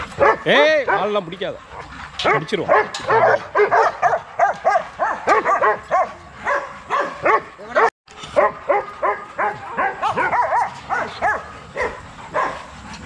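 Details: Young Rottweilers at a kennel, romping in an exercise yard, let out a busy run of short, overlapping barks and yelps, several dogs sounding close together in rapid bursts, with human voices mixed among them.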